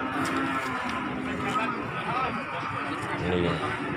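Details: Cattle unloaded from a truck at the Pati market of Margorejo, 13 May 2020, give steady low lowing under dense human talk and background clatter of a busy livestock market.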